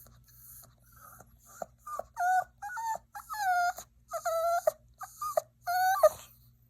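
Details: Yorkshire Terrier puppy whining: a string of short, tonal, wavering whimpers with bending pitch, coming in quick bursts separated by brief pauses, ending in a sharper squeak.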